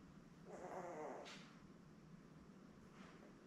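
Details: Newborn Labrador Retriever puppy, one of a litter of seven born May 24, 2021 to their mother Belle, on a live puppy cam on 3 June; a short wavering whine under a second long over steady low hum.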